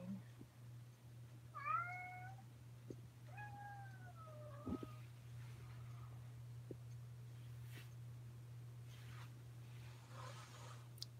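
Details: Crying kitten named Oscar, indoors at Alley to Attic in Alabama in May 2018, gives two drawn-out meows, the second bending downward, followed by scattered clicks and thumps over a constant low hum.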